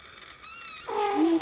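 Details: Persian cat meowing: a faint thin tone first, then a louder, lower drawn-out meow that wavers and rises slightly before breaking off, all within a second and a half.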